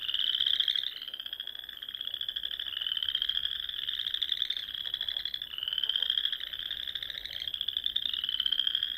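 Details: Nebraska Sandhills pond at dusk in spring, where frogs keep up a high trilled chorus rising slightly in pitch and restarting in waves every couple of seconds, swelling and fading in loudness.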